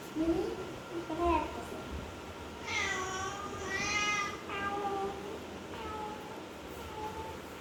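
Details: Mini, a cute pet cat, gives a run of drawn-out, tonal meows indoors, each rising then falling. Several come in quick succession mid-clip, then softer ones trail off. Human speech is heard at the start.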